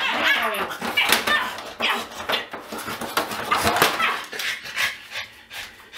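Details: Indoors, a pug that hates being weighed barks and bites at a scale; harsh, noisy barks and growls come in quick irregular bursts with short gaps, rough and snarly throughout.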